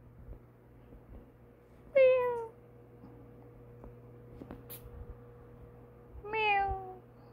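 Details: Playful kitten up from a nap, its new teeth coming in as it attempts biting attacks: two loud, bright meows about four seconds apart, each starting high and falling, with a quiet room hum and faint rustles between.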